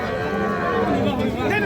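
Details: Heifer calves at Aftabganj cattle market on 16 May 2026, bought in a lot of 37 by a Faridpur farmer; a low, steady mooing drone under talking voices and market bustle.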